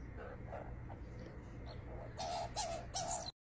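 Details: Young female skunk calling to a person who coaxes her over: faint chirps at first, then three louder, sharper squeaky chirps near the end, each with a breathy, hissing edge, over a low background hum.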